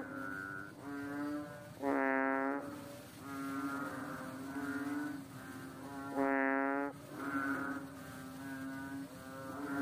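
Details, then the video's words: Fat little water frog perched on a slippery rock; long, reedy, bleating notes rise in loudness twice, each held about a second, between softer overlapping humming calls. "The sound of a funny fat frog on a slippery rock"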